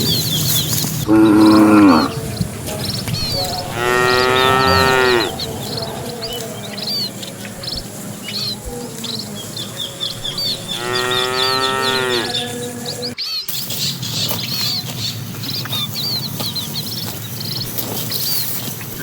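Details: Evening scene of a herd of cattle entering their pen behind a herder: three loud moos, the middle and last long and wavering, separated by quieter stretches filled with chirping birds.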